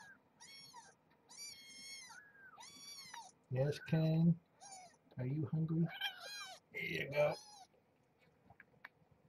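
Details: Young kittens of Marge, a rescued stray cat at Purrfect Pals, at morning feeding time: a run of thin, high, wavering mews repeated over the first few seconds, then a man's voice talking over further scattered mews.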